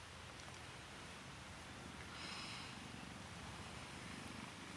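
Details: Mother cat beside her kittens, giving a continuous low rumbling purr for about five seconds over a faint background hiss.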